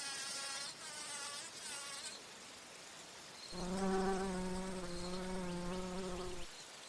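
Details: Bumblebee visiting flowers for nectar: after a few seconds of faint, wavering background hum, a loud, deep, even buzz starts abruptly and holds for about three seconds before cutting off.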